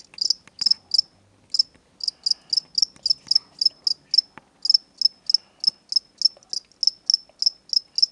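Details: Two crickets bought from a pet shop, where they are sold as reptile food, kept indoors as pets. Sharp high chirps repeat steadily about three times per second in even pulses, with faint room noise and brief rustling underneath.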